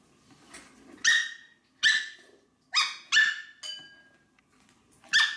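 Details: Maltese named Fanta begging for food indoors. Six sharp, high, ringing barks come in irregular bursts roughly a second apart, with one softer yip early on and a quiet room between them.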